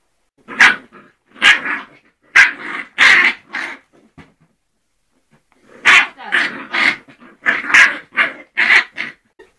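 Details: Barking from two-month-old Scottish Terrier puppies: two bouts of high, sharp yaps, about four to six each, separated by a brief quiet gap, with some rough growly edges.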